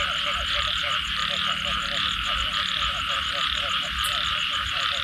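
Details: Frogs calling after rain: a dense chorus of rapid, pulsed croaks repeating several times a second, set against a constant high buzzing drone that fills the background.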